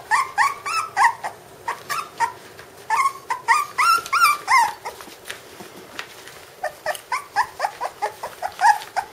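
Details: Puppies aged five weeks, Candie and Kevin's litter, yelping in quick runs of short, bright, harmonic whines, several per second, pausing briefly around the middle before another rapid burst of squeaky cries.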